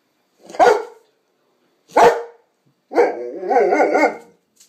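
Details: Young female pet Presa Canario and Rottweiler cross named Sanza talks: two short sharp barks, then a longer wavering, yodelling moan that rises and falls in pitch.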